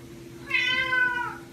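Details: Egyptian Mau cat, happy after catching a rat: one drawn-out, slightly falling meow with rich harmonics, lasting almost a second, with a steady low hum behind it.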